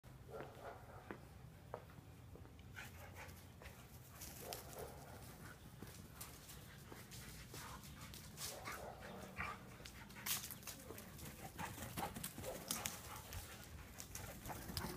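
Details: A standard poodle and a miniature poodle at play give short, gruff barks and huffs over steady scuffling and panting.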